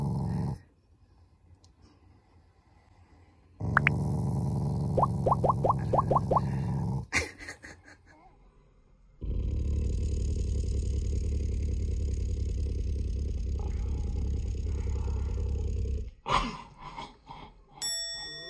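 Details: Affectionate Shiba Inu, not angry, growling playfully at its owners: a low rumbling growl with a few brief high squeaky notes, a pause, then a long unbroken rumble of about seven seconds, ending in a few scattered knocks.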